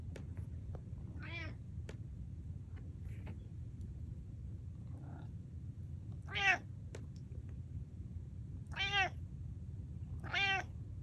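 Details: Domestic cat attempting to meow like a normal cat: four harmonic-rich, slightly wavering meows spaced several seconds apart, with a steady low background hum and faint clicks between them.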